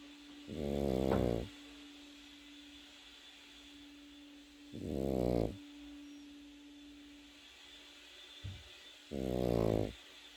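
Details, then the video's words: Pekingese puppy asleep and snoring: three throaty, buzzing snores roughly four seconds apart, with a short soft snort before the last, over a steady background hum. "패키니즈 코고는 영상"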